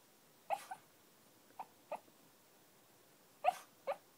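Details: Phil, a dog that seldom barks, yipping in his sleep during a dream: five short muffled woofs in two bursts, a pair at the start, two softer ones mid-way, then a final louder pair, with quiet between.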